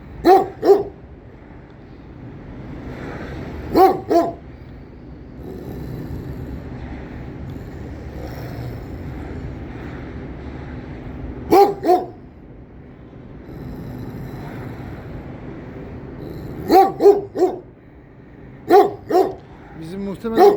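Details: A Kangal keeps intruders away from its guarded area with deep barks in clusters of two to four, separated by long quiet stretches filled with a low, steady background rumble.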